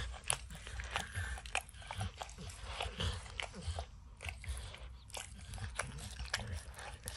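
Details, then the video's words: Wet, rhythmic licking and crunching from Max, a dog, eating peanut butter and kibble stuck in an orange mat, with short silent gaps around four and five seconds and no talking. "Dog Licking Sounds"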